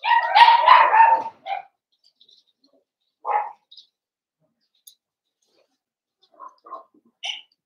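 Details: Blenheim Cavalier King Charles Spaniel puppies in a home puppy pen; an opening burst of overlapping whiny yelps and barks, then an isolated bark and a few soft scattered squeaks.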